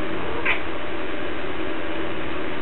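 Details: Domestic cat talking back while asked about a string to play with: a single short, bright meow near the start, then quiet, over a constant background hiss with a person speaking Russian nearby.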